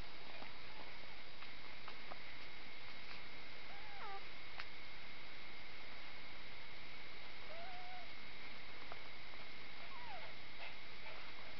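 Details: Nine-day-old spaniel x Shih Tzu cross puppies, a litter of three females and one male, give thin whining squeaks: a few short wavering tones near four, seven and ten seconds, set against a steady hiss.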